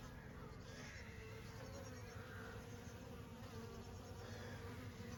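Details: Summer honey bees making a continuous deep drone, a thick low buzz that holds steady throughout, with faint bird notes drifting in the background.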